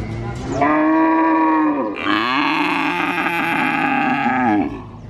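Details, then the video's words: Calf at a cattle market in Purwokerto, Indonesia, mooing almost without pause: a long tonal moo followed by a louder, hoarse, drawn-out bellow lasting nearly three seconds, with market noise faint behind. "Suara Anak Sapi Asli Moo Seram , Cow Sound Effect Mooo , Suara Sapi Asli di pasar Sapi Purwokerto"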